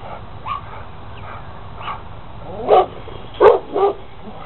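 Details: Rottweiler outdoors, running back and forth along a fence and jumping on it, barking and growling: a few soft, short yelps, then three loud, rough barks in quick succession, the last two under half a second apart.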